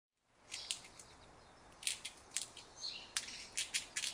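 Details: An Indian squirrel gives sharp, high chipping calls in uneven bursts over a faint background hiss.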